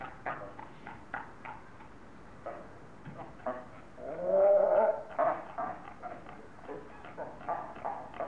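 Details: Seals quarrelling in Zoo Augsburg, Bavaria, Germany, roaring and screaming at each other. Short harsh barks come in an irregular string, with a louder, longer drawn-out cry near the middle, then more clipped barks.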